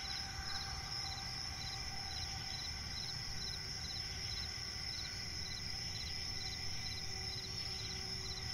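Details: Crickets chirping at night in a swamp forest: a steady, high, ringing trill runs throughout, with quicker pulsed chirps repeating just beneath it over a low, constant rumble of background noise.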